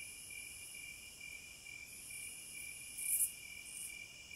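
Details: Cicada song from the wilderness: an even, high, whining drone, with a sharp buzzy surge late on and a smaller one just after.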